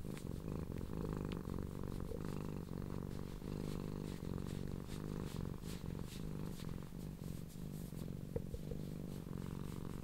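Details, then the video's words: leGrey, a female blue and cream tortoiseshell cat, purrs loudly with appreciation as she is stroked; an even, rumbling purr held for the whole stretch, with soft fur-rustling noises on top. "the purr of leGrey"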